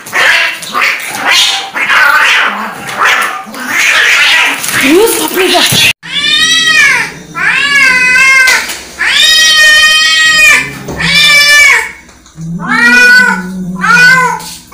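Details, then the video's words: {'caption': 'Angry cat: about six seconds of rough, noisy spitting and growling, followed by a string of loud, wavering yowls in quick succession.'} "Angry Cat sound"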